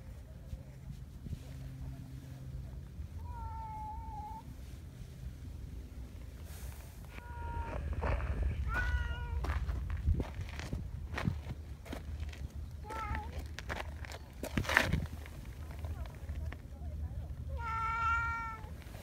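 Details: Donchan, a big black boss community cat in Japan, being affectionate and pulling a petting hand closer, gives four drawn-out harmonic meows spaced a few seconds apart, the last rising and wavering, over rustling and handling noise.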